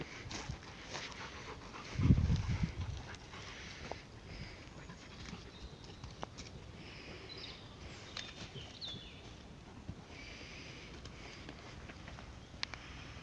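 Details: Rottweiler busy with a bone growls a warning at its owner not to interrupt its meal: one short, deep rumbling growl about two seconds in, then quieter low rustling and scattered soft noises.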